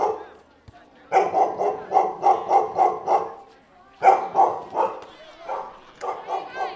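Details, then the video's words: Dog barking, with puppies also named: a quick run of about seven sharp, evenly spaced barks, a short pause, then a second burst of barks trailing into a few looser yips. "Som de Cachorro e Cachorrinhos Latindo"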